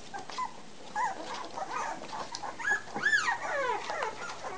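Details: Very young American Bulldog pups, three weeks old, recorded 27 March 2008, whimper in thin wavering cries, peaking in a cluster of rising and falling squeals, several overlapping voices against a soft background hum.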